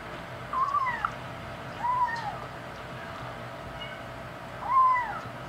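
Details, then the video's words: Five-week-old male kitten, one of five, talking while eating the big cats' dry food; short, thin meows that rise and then fall, about four in five seconds, over a quiet indoor background. "kitten talking while eating"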